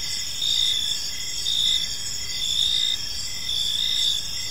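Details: Crickets chirping in a peaceful park on an evening; several overlapping high, steady trills with pulsed chirps swelling roughly once per second, forming a continuous insect chorus with no other clear sounds.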